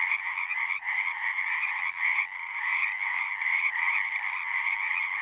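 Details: Chorus of frogs at a pasture pond, recorded with a Zoom 6: many overlapping shrill, rattling croaks merge into one continuous high buzzing wall of sound, with slight dips and surges in loudness.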